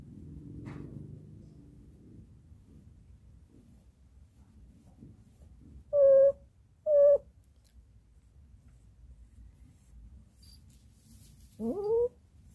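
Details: A 14-year-old female dog cries after a long wait for someone behind the garden, giving two clipped, even, high tonal whines about a second apart, then a longer wavering whimper bending upward; faint murmur and low rumble open.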